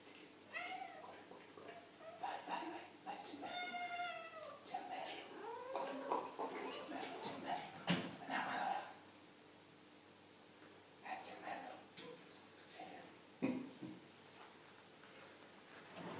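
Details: Domestic cat giving a run of short, harmonic-rich meows, several rising then falling in pitch, with human speech and talking interleaved between the calls indoors.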